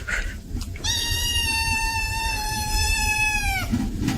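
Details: Cat in a comedy compilation, a single long drawn-out yowl held steady for nearly three seconds, rich in harmonics and dropping slightly at the end, over a noisy background.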